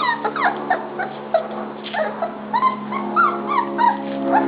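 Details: Puppies at dinnertime, a busy overlapping chorus of high-pitched yips, squeals and whimpers, several small voices calling at once, with a steady low hum underneath.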